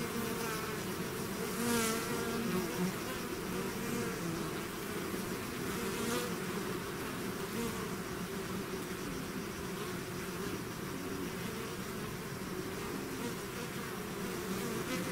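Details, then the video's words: Dense buzzing of a bee swarm emerging from its hive, an even, rumbling hum of many wings lasting the whole stretch, with a few nearby bees zipping past early on and around six seconds. "bees therapy swarm natural buzzing sound"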